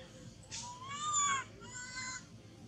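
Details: A baby monkey, separated from its mother, clings to a tree and shakes as it cries: two tonal, harmonic wails, the first long and slowly rising before breaking off, the second shorter and flatter, over faint background hiss.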